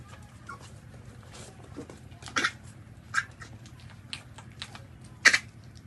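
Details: Newborn puppies suckling at their mother's milk give a few short, squeaky whimpers and yelps, scattered among soft wet suckling and shuffling noises in a quiet indoor space.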